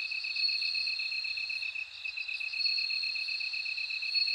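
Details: Bell cricket song among other insects: a continuous shrill ringing note over a rapidly beaded lower trill, pulsing about four times a second and steady throughout.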